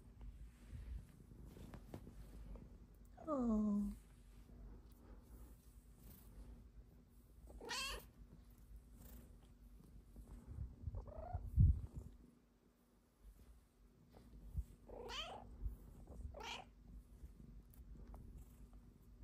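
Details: Indoor pet cat lying on its back belly flopping and asking for belly rubs, giving four short meows spaced over the clip, one sliding steeply downward, others quick rising-and-falling chirps, over a low steady rumble.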